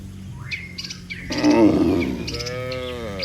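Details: Cattle, one of dozens lined up neatly on a road, calling the herd to come home: a loud rough bellow, then a short harmonic moo, with birds chirping throughout.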